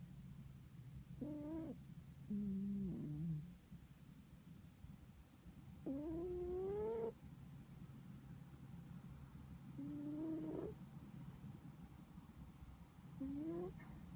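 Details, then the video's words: Pet cat Nontan sleeping deeply and snoring: drawn-out tonal, slightly rising nasal notes lasting about a second, returning every few seconds, over a steady low hum. "猫のいびき 愛猫ノンタンのイビキ"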